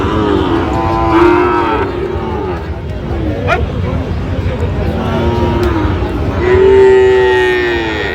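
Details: Sahiwal bull calves at a crowded cattle market in Chattogram, Bangladesh, 29 January 2026: several drawn-out, harmonic moos rise and fall, near 1 and 7 seconds, over a steady murmur of market crowd noise.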